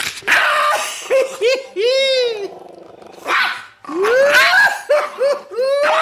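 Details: Leon, a two-year-old, 4 lb pet Chihuahua, guards a T-bone steak bone indoors and intimidates a fawn Doberman named Gza-gza. He gives a run of whiny, arching snarls that rise and fall, with short pauses between them.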